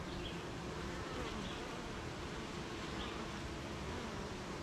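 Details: Honey bees at a beehive on a rainy morning, near gardens, farms and fields, making honey: a steady, dense low hum of many bees, unbroken throughout, with faint faraway bird chirps above.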